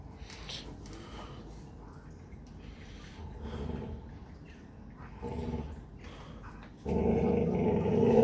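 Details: During morning exercise a Presa Canario gives low, intermittent growls that start soft and patchy, with brief rough bursts, then swell into a loud sustained growl over the final second and a half.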